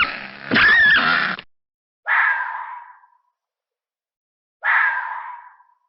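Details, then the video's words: Fox screaming angrily. A rough, noisy opening burst is followed by two short, raspy shrieks about two and a half seconds apart, each fading as it ends, with silence between them. "Som de Raposa, Ouça o Barulho de Raposa Uivando, Brava, Gritando (Fox Sound)"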